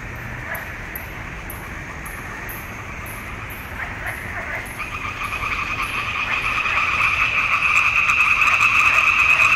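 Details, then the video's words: Frog chorus at a swamp pond in June 2021, captured on a Nikon D780. The rasping, pulsed croaking starts faint and swells steadily louder over the second half. Short repeated high chirps sound faintly in the first half. "Il canto delle rane in palude"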